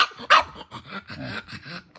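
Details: Pangpang the pug, upset over a supposedly missing blueberry, gives one sharp, throaty bark followed by low grumbling vocal sounds.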